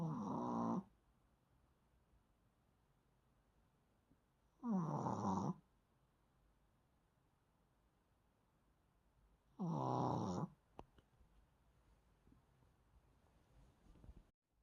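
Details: Asleep indoors, a Maltese snores in three rasping, buzzy bursts about five seconds apart, each just under a second long, with near silence between breaths.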